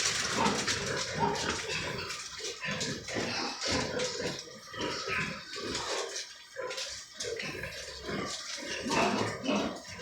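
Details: Recently weaned piglets in a piggery pen on a farm, third and fourth batches; short rough grunts and snorts come in quick irregular bursts with brief quiet gaps, mixed with shuffling and clattering from the pen.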